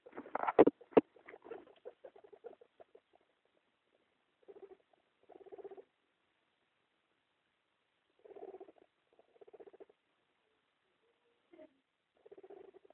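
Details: Guinea pig mother with two young: soft, low pulsed chuttering in short bursts separated by silences, after a few sharp louder clicks at the start.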